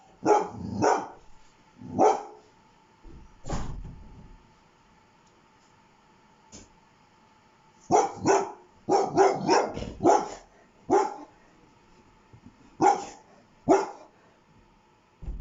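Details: Domestic dog barking in irregular bursts: a few single barks, then a rapid cluster of quick repeated barks, with a faint steady hum behind.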